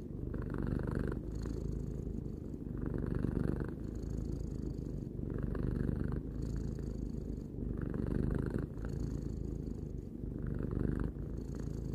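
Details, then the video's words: Purring of Tarou, a three-year-old domestic cat, recorded indoors: a continuous low rumbling drone that swells and eases in breathing cycles roughly every one and a half seconds, with brief quieter gaps between cycles. "Cat purring"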